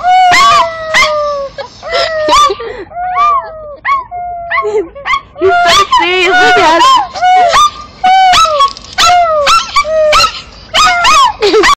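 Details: Puppy 'singing' in loud, drawn-out howls and whines, each tone sliding slowly downward, broken up by short yelps and yips in an uneven run of bursts with brief pauses between.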